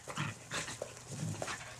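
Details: Skid, a red and white female Border Collie, breathes in a few loud, rough, breathy bursts while playing fetch, over a low steady hum.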